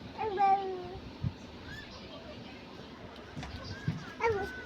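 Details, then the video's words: Pet cat caught up in play with a child. A clear, drawn-out meow opens the clip, and a shorter rising one follows near the end. Bengali speech and household noises sound in between. "বিড়ালের সাথে খেলে মেতে উঠেছে দিলরুবা"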